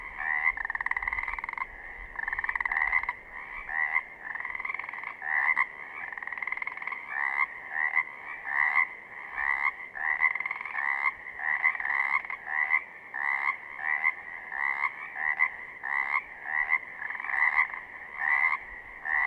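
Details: Pacific chorus frogs in southern Oregon give a steady chorus of quick, raspy two-part 'rib-bit' croaks.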